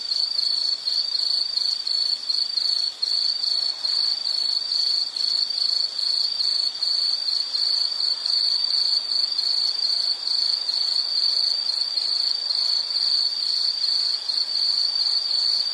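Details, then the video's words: An insect trills on and on in this nature-sound recording, a piercing high ring held steadily with tiny flickers and rapid fine pulsing, backed only by soft hiss. "Nature Sound of nature sounds scenery L · insect"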